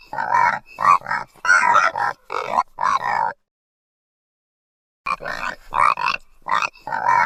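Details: Baby pig making rapid, raspy squeals and grunts, a run of six choppy bursts, a pause, then four more in close succession.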